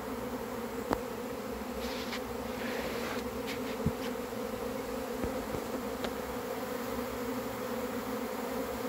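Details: Arriving swarm of honey bees making a constant heavy hum, broken by a few sharp clicks and brief higher hissy bursts in the first half.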